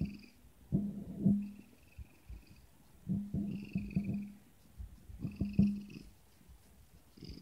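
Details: A Siamese cat gives three low, grumbling meows, each a rough, pulsing burst about a second long, which sound like it is saying "No."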